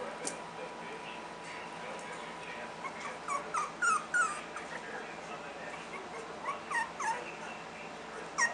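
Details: A litter of three-week-old Miniature Schnauzer puppies, just turning playful and barking at each other: thin, high squeaky yips and little squeals scattered irregularly over a steady background hiss.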